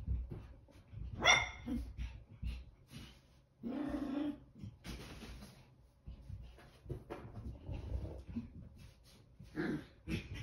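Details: A 19-week-old Chihuahua puppy running around wildly, giving a few short sharp barks and yelps between bursts of scrambling and thumping movement noise.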